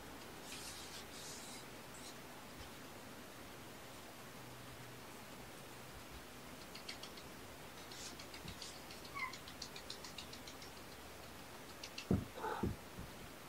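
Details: Kittens of the surrendered mother cat Olympia, kept indoors and watched during a weekend morning visit. Light ticking and rustling lead up to one brief, bright meow with a quick tail-off near the end.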